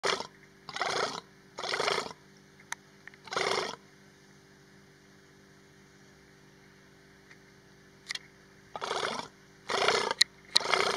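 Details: A female Persian fallow deer in estrus at Hai-Bar Carmel, Israel, on 29 August 2019 gives rasping, breathy estrous calls about half a second long in quick clusters of two or three, separated by long pauses, over a faint steady hum.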